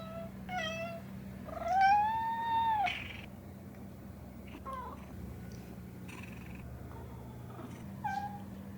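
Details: Domestic cat meowing indoors, a few drawn-out harmonic meows, one long rising-then-falling cry near the start, followed by quieter short calls with a steady low hum in the background.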